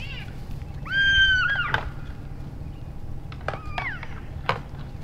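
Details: Elk bulls in Canada's Rockies sparring in play during late January after the rut; one long, loud squealing mew with rich overtones, a pause, then two shorter bent squeals, with knocks and a low background rumble.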